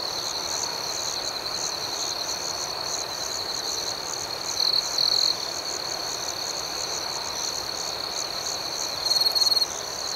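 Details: Crickets chirping at night in a shrill, rapidly pulsing chorus, roughly four beats a second. Two bursts of louder trilling come from a nearer insect.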